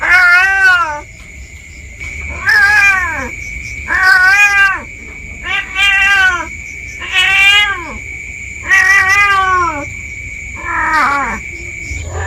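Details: Domestic village cat wandering into undergrowth behind the home, calling in apparent panic: seven loud, harmonic meows repeated every one and a half to two seconds, each rising then falling, with a constant shrill tone behind.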